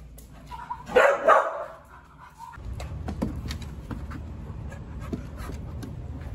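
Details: Evie, an Australian Cattle Dog awaiting adoption, barks twice in quick succession early on. A low rumbling background noise follows for the rest of the recording.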